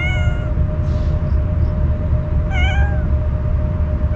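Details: Normally shy stray cat meowing warily as it eats Kalkan food it was offered; two harmonic meows, one at the start and one near the end, with a soft rustle between and a low hum throughout.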